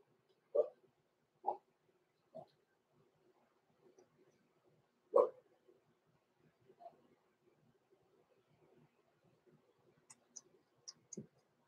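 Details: Six-week-old blenheim Cavalier King Charles Spaniel puppies, born November 14, 2022, in an indoor puppy pen overnight; short whining yelps come in a quick run of four, then stillness broken by faint high clicks and one last low whimper.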